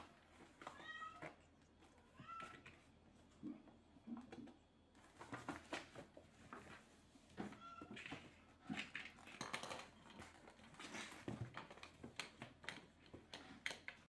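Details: Several Maine Coon kittens at a Tokyo cattery, busy and noisy indoors: high harmonic meows early on, then a jumble of short squeaky mews, rustling and clattering, with faint voices in the room.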